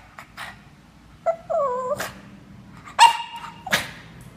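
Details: A 2-year-old male Boston Terrier whines in high, wavering cries, begging for pie he is not allowed to eat.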